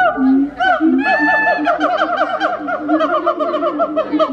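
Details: Loud, richly harmonic wake-up calls of a siamang gibbon open with a few sliding hoots, then break into a fast run of wavering, bouncing notes; human voices and laughter may be faintly mixed in.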